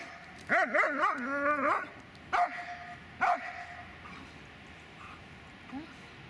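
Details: Dobermann named Magmar Von Der Burgstätte giving a wavering, high whine that rises and falls for about a second. Two short, sharp barks follow, then quiet with faint background noise.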